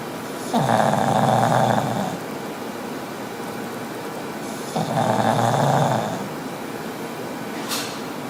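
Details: Sleeping pug gives two drawn-out, buzzy snores of about one and a half seconds each, roughly four seconds apart, with a soft breathy lull between and a brief click near the end.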